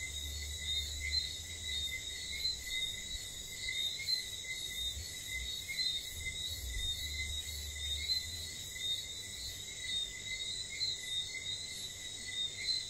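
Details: Night chorus of whistling frogs in St. Lucia, many high, thin whistles overlapping in a continuous stream above buzzing insects, with a soft low rumble in the background.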